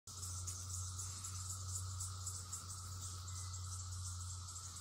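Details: Red-eyed cicadas, millions on the land in 2021, many calling from one tree: a steady, loud high-pitched shrill drone without breaks, over a constant low hum.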